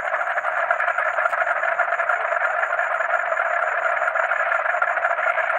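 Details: Night-time: a dense chorus of croaking frogs with a thin, steady cricket trill high above.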